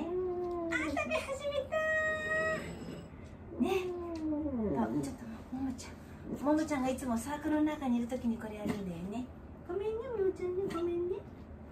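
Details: Aged dog Wanta under home care, vocal whenever awake and flailing his legs, gives a run of wavering, bending moans and whimpering cries, some rising then falling, nearly continuous across the stretch, heard indoors.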